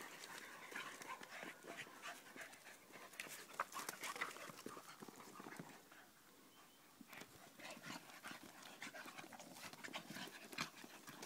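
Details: Two Staffordshire Bull Terriers playing with mum pant heavily in quick, breathy bursts, mixed with scuffling sounds.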